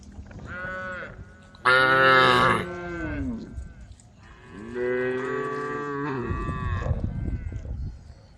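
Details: Roaming cows on a dusty country road call the herd with drawn-out, strained moos, one loud and rising near 2 seconds and a longer one around 5 seconds, with low rumbling noise between.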